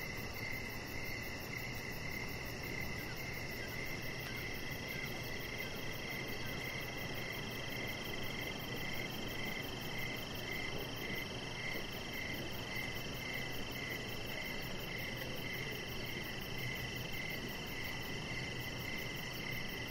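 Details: Crickets chirping outdoors by a deck in the evening, a steady chorus of high, pulsing trills in several layered pitches, with a continuous low background rumble underneath.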